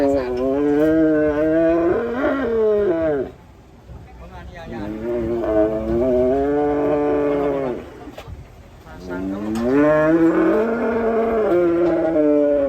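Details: Three drawn-out, rising-and-falling bellows from raging cattle, each about three seconds long and separated by short pauses.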